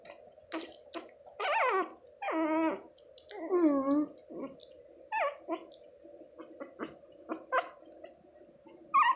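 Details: Litter of six Shih Tzu puppies, about two and a half weeks old, indoors after their mother stopped nursing; drawn-out descending whines, several in a row, then shorter squeaks, over a steady low background hum.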